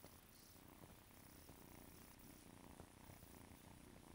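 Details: Female RagaMuffin kitten, silver mackerel tabby with tuxedo markings, giving a low, steady, rumbling purr that runs unbroken throughout, heard close but quiet against soft background hiss.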